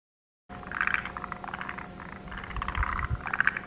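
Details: Forest green tree frogs at a subalpine highland marsh and pond, where they lay eggs on grasses and pond banks: bursts of rapid, rattling croaks, several overlapping, repeating roughly every half second over a steady low hum.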